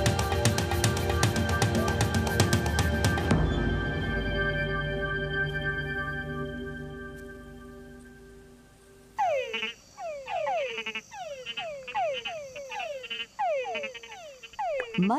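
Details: After a stretch of orchestral music, male Túngara frogs give repeated whining, downward-sweeping mating calls; a lower croak signals a bigger male with better prospects, and fringe-lipped bats also listen in.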